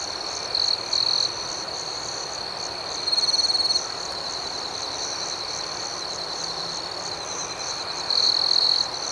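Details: Crickets at night in a steady high-pitched chorus, a continuous shrill trill with brief louder chirping bursts near the start, around three seconds and again near the end.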